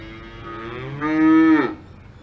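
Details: Single cow moo on a farm in the Alps, beginning quietly, then swelling into a strong, steady, droning tone that drops in pitch as it ends, roughly one and a half seconds in all.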